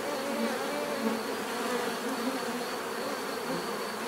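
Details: Continuous bee buzzing, a thick layered drone of many insects with brief passing swells as individual bees fly near, plus a thin steady high tone in the background.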